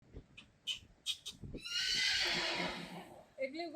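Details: Friesian horse at a photo shoot gives a rough, breathy neigh lasting under two seconds, preceded by people talking in Dutch and followed by a short tonal whinny fragment.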